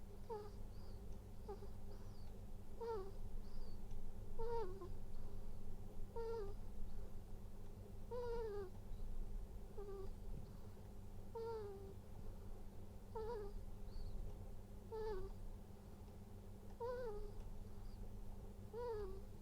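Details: Ferret snoring at home in Japan, one of two pet females, Purin and Latte, 2019-born: soft nasal squeaky whistles with a wavering tone, repeated roughly every one and a half seconds over a low steady hum.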